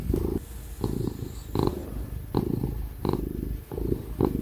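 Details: Loud purring from a petted ginger house cat; a low throbbing rumble rising and falling in short breaths about every three quarters of a second, with light hand-stroking rustles and a faint background fan hum.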